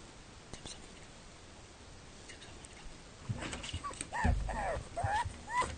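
A pug whines in short, rising and falling whimpers, asking to have a door opened.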